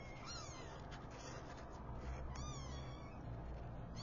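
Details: Newborn kittens, five in the litter, mewing as their mother wakes them: squeaky descending cries, a few stacked close together, over a continuous low background hum.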